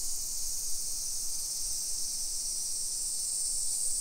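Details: Cicadas in summer, filmed on a midday walk at 1 PM on 28 July 2021 through suburban Nisshin, Aichi Prefecture, Japan. A continuous shrill buzzing wash holds level, with a couple of faint low thumps beneath.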